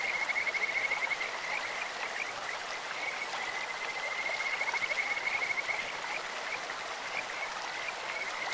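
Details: Kajika frogs calling in a clear stream: a sustained high, whistled trill, steady pitch with fast pulsing, running for most of the stretch and strongest early on over the constant rush of flowing water.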